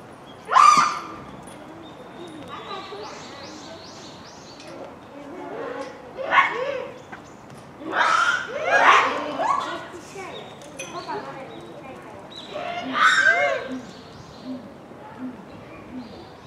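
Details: Japanese macaques in a noisy troop at Hamura Zoo, Japan, at dusk near closing time, December 2020: scattered sharp cries and arching coos from several animals, with a loud shriek at the start and chirpy high calls between.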